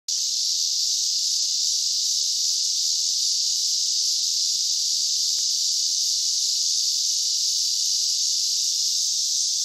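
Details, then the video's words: Loud cicadas forming a continuous, steady high-pitched buzzing drone that never lets up, intense enough to briefly knock out hearing; no other clear sounds. "Cicadas are loud"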